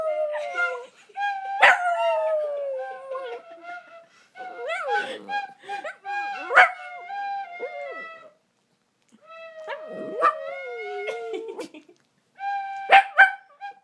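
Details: An 8-year-old one-eyed Shih Tzu sings along to a flute, howling in wavering, sliding notes with the flute's steady tones.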